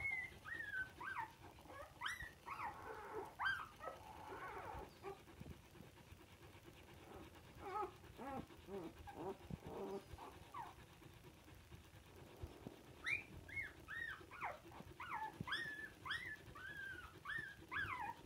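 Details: Samoyed puppies recorded on 19.02.22 give a run of high whining and squeaking whimpers, some rising then falling, in bursts with short pauses and low grumbles between.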